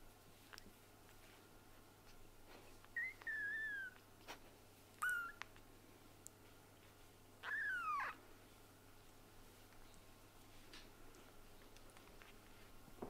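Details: Kitten meowing while being held, three thin high mews, each sliding downward, spaced over about five seconds, with soft handling rustles and a quiet room hum.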